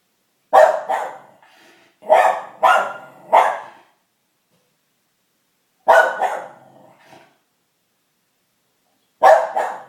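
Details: Junebug, a pet dog, barking at noise from kids playing outside: a loud single bark, then a quick run of three, another single and a last bark, with silent gaps between.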